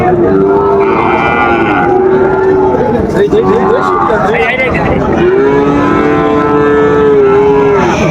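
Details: Sahiwal bull calves being traded as Raniganj cattle market in Dinajpur opens, 10 July 2025: two long, steady, tonal moos, the first around one and a half seconds, the second nearly three seconds, over constant market chatter and voices.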